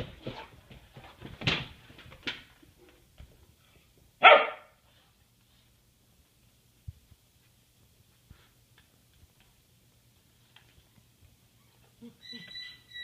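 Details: Diesel, an English Mastiff, finally playing with Bosco: a few loud, harsh barks in the first two and a half seconds, then one sharp bark near four seconds, followed by near silence with faint taps and a brief tonal sound at the end.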